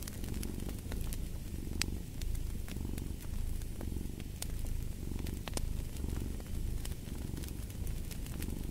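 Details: Cat purring dominates: a throaty low vibration pulsing in regular breath cycles roughly every 1.3 seconds, with crisp fireplace crackles ticking over the top.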